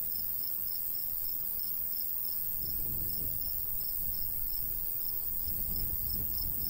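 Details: Crickets in summer countryside by a golden wheat field, giving short high chirps about three times a second, steady throughout, over a soft rushing breeze that swells in gusts.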